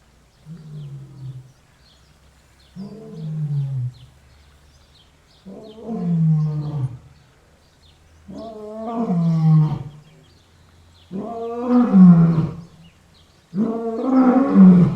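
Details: Six deep lion roars spaced about two and a half seconds apart, beginning soft and growing steadily louder and fuller, each a low harmonic moan that rises and falls away.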